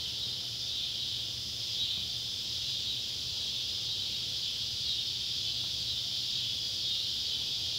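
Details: Neotibicen pruinosus and Neotibicen tibicen cicadas calling as sunset light falls on an old tobacco barn in Ballard County, Kentucky, July 31, 2013; an unbroken, high, hissing drone holds steady throughout, with a faint low hum beneath.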